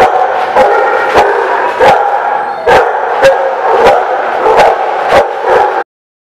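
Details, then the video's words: Recorded at The Barking Lot on 6/19/17, several dogs bark at once in a loud, unbroken din of overlapping yaps, with sharp knocks about every half second, ending abruptly. "The Barking Lot"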